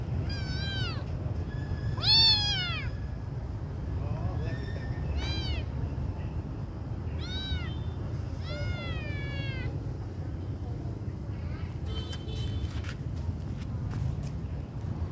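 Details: Hungry small kitten crying: about six loud, high meows with strong stacked harmonics, several arching up then down, spaced one to two seconds apart, followed by sharp clicks and rattles over a steady low rumble.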